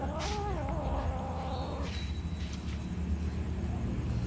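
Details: A drawn-out, wavering cat meow opens, sliding down and up for nearly two seconds, among a black kitten, a white kitten and other cats at feeding time; low rumbling hum continues after the call stops.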